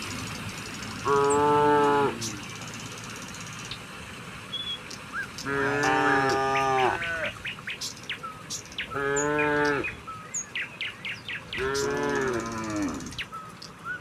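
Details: Tame cows heading down a hillside to the pen, rural setting: four drawn-out, full-throated moos spaced a few seconds apart, bright bird chirps scattered in the gaps.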